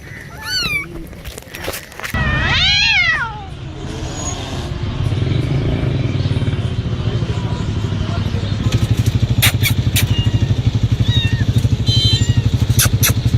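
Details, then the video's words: Playing cats let out several quick meows followed by one long, loud, wavering meow, then a steady rhythmic engine-like rumble takes over with a few faint high squeaks and a spoken voice. "noisy Cats are making noise and playing"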